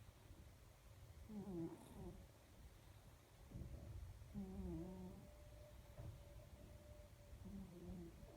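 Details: Sleeping pet cat snoring, a series of soft, low, rasping breaths with slight wheezy overtones, three snore cycles at uneven intervals over a faint steady hum.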